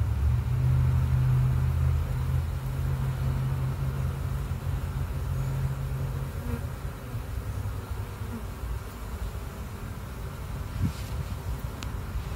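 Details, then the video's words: Honey bees entering their hive: a steady, deep droning hum that stays even for about six seconds, then eases slightly and continues more softly, with a few faint ticks and no other clear sounds. "Bees entering the hive"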